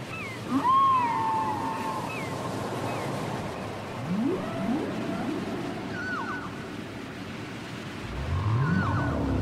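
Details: Whale song from an old cassette recording: a high whistled moan sliding down near the start, short upswept squeals and chirps, and a long rising groan midway, over steady hiss of ocean noise.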